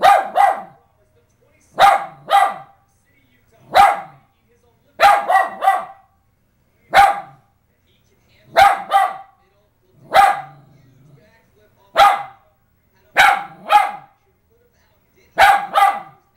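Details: West Highland White Terrier barking excitedly indoors while watching the 2010 Winter Olympics moguls event on television; loud harsh barks in single, double and triple bursts, roughly every one to two seconds, with brief quiet gaps between.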